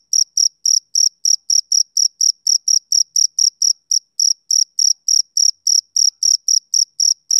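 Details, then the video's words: Shrill pulsed chirps from a male cricket on a summer evening, fast and slightly uneven at about four per second, one short gap midway, quiet background. "Cricket Chirping Sound Effect"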